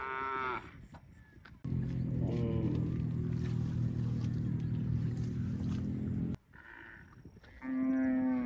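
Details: Cow moos in edited fragments: a moo at the start, a brief one among loud low droning noise, then a strong, steady moo at the close, with abrupt cuts between sections.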